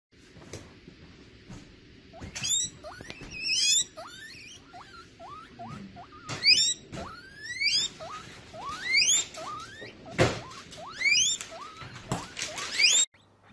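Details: Baby guinea pigs popcorning: bursts of sharp, upward-sweeping squeaks come in quick clusters, with a few isolated clicks and quieter gaps between the runs of calls.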